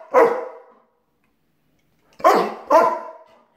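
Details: Pet German Shepherd dog vocalising as its owner leaves for work, protesting the departure: three loud, harmonic, moaning bursts, a long one then two shorter ones close together, separated by silence.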